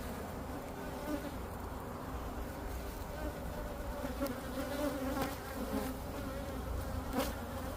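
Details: Honeybee drones flying out from a hive in Florida to find queens and mate, a dense steady hum of many bees with tonal bands around the wing-beat pitch, a few louder passes of bees close by.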